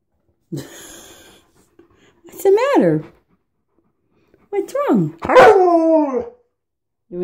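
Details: Alaskan Malamute following its owner into the bathroom makes short, bending, rising-then-falling yowls and whines, three or four in a few seconds, while a person talks to it.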